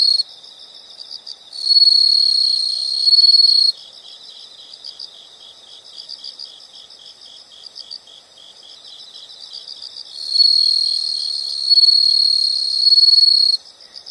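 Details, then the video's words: Two long stretches of loud, high insect trilling, each lasting over two seconds, stand out from a steady background of softer, rapid pulsed chirps at a similar sharp pitch. "the sound of insects"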